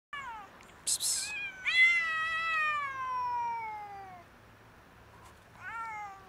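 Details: Stray domestic cat, a huge fluffy female living on the street on a cold winter day, friendly and hungry; several clear harmonic meows, one long drawn-out falling cry in the middle, with short sharp clicks or rustles between calls.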